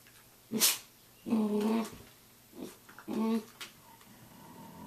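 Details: Samoyed at 6:00 a.m. giving two drawn-out, moaning, growly grumbles, each about half a second long, with a sharp click before them and a shorter sound between them.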